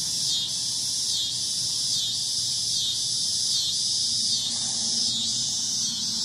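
A cicada's loud, shrill buzz pulses steadily, swelling and easing slightly just under once a second.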